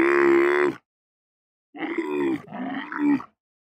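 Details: Camel moaning: a loud, throaty, heavily harmonic groan lasting under a second, then after a silent pause two more rough moans run together, the last rising slightly before cutting off.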